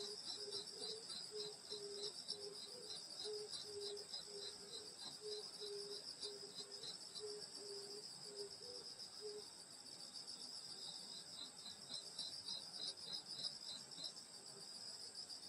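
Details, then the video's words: Grass insects calling through a summer countryside night at a grandmother's home: a high continuous trilling chorus, joined for about nine seconds by a low, rapidly repeated hooting pulse from another animal that then stops. "여름소리 풀벌레소리 시골밤소리"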